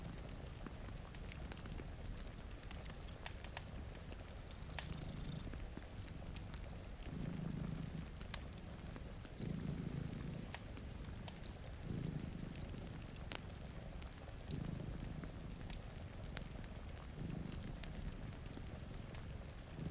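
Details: Two cats dozing in front of a rainy window give a rumbling purr, clear throbbing bursts returning about every two and a half seconds, accompanied by crackling firewood and light rainfall.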